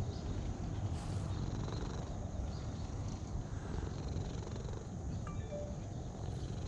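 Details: Purring cat being stroked, a low, even rumble sustained from start to finish with soft background hiss.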